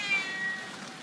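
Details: Havana Brown cat in Bad Gastein giving a thin, high-pitched meow lasting about half a second. It starts level and steps slightly lower, with faint harmonics, over steady background hiss.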